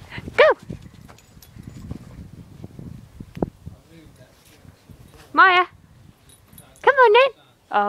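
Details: Puppy Max or Maya playing and running in a garden, giving a short high yip, then three loud, drawn-out yelping cries late in the stretch. A person's encouraging voice and patter of movement fill the gaps.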